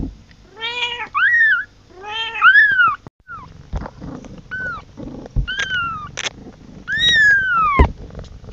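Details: A kitten crying out for its mother gives wavering, harmonic-rich meows, the first ones trembling and pulsed, later ones shorter and falling, over a low background rumble with a few knocks.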